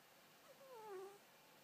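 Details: Six-month-old male Scottish Fold kitten asleep in a cage, giving one thin whistled snore that slides downward and fades within about half a second, in a quiet room.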